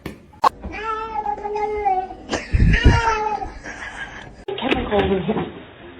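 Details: Pet cat indoors with a long, strained meow that holds steady and then breaks into a louder wavering cry, overlapped by excited human voices and a brief burst of noise.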